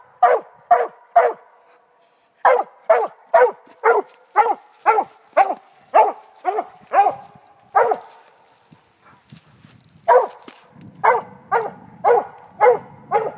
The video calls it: Redbone coonhound treeing